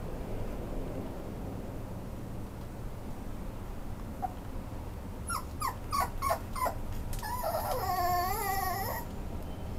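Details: Italian Greyhound awaiting a new owner at a Japanese pet shop for rehoming dogs, recorded 21 August 2019; after quiet room noise, four short sharp yips come in quick succession, then a long wavering high whine.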